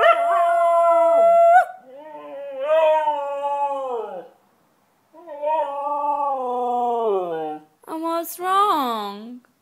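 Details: White Siberian Husky singing loudly: a long steady howl, then wobbling, warbling wails that drift down in pitch, ending with a sharp rising yelp-like cry.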